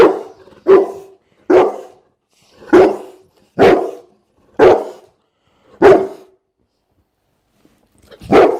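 A Bullmastiff gives a series of deep, hoarse barks, about one every second.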